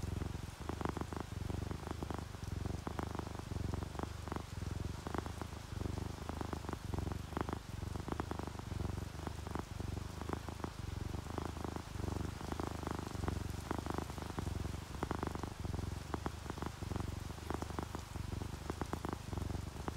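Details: Relaxed domestic cat, from a sleeping orange tabby and calico pair, purring on a rainy day: a continuous deep rumbling purr pulsing with each breath, steady and close, with faint rain in the background.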